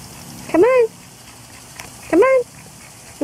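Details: Pet dog Auggie, splashing in his pool in hot weather, gives high whines that rise quickly and then slide down, repeated about every one and a half seconds, over a low steady hum, with encouraging talk nearby.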